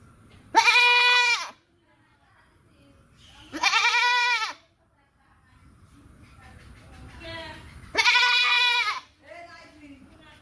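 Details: Goat bleating three times in long, nasal, slightly falling calls, with softer, shorter bleats and faint background murmur in the gaps.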